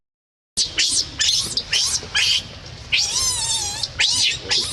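A baby monkey gives shrill, squealing cries in quick bursts, then one long wavering scream.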